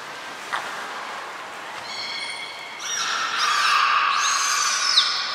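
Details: Belugas Hodoi, Taanya and Mirai being moved between pools and trained at Port of Nagoya Public Aquarium, 23 February 2021: a brief click-like pop, then layered, overlapping tonal whistles with rich harmonics that swell louder and bend in pitch over three seconds.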